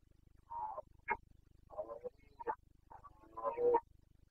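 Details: Red deer stag of the Carpathians in Bucovina, Romania, giving the breeding-season boncănit roar, late September 2022. Rasping bursts in three groups: a short bellow, a sharp grunt, then longer guttural roars, with a faint low pulsing background hum.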